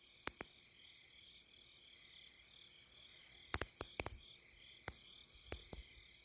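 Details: Insects calling along the Deuldeul riverside in Nampyeong, late September: a steady, shrill, high-pitched chorus of overlapping continuous trills, broken by scattered sharp clicks.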